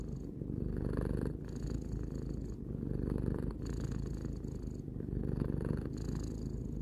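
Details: Three-year-old house cat purring: low, vibrating rumble that rises and falls in breath-paced waves, each inhale and exhale phase lasting around a second, steady and uninterrupted.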